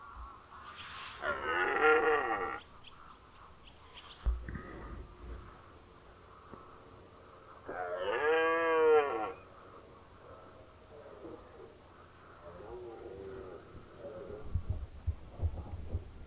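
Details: Rutting red deer stag in Unteres Odertal National Park, 2019, belling twice, about six seconds apart, each a loud, rough, wavering roar of roughly a second and a half, with quieter grunts and rustling between them.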